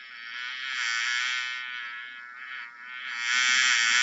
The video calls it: 🐝 How does a bee sounds 🐝